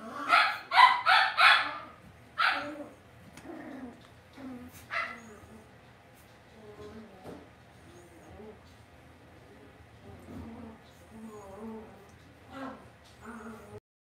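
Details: Cavalier King Charles Spaniel puppies being raised inside a home pen: a quick run of loud, high yelps opens, followed by scattered squeaks and a long stretch of soft, repeated whimpering and grunting.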